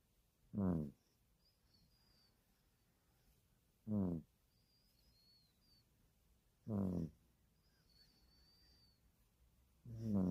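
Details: Puppy snoring in steady rhythm, a short harmonic rasping snore roughly every three seconds with quiet breathing between; faint high bird chirps in the background.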